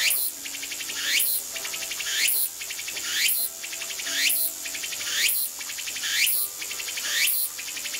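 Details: Tsukutsukuboshi cicada singing, a phrase rendered locally as "ooshin tsukutsuku, takabeccho": loud, shrill, pulsed buzzy phrases repeated about once a second, each ending in a rising sweep, with a steady high hiss between them.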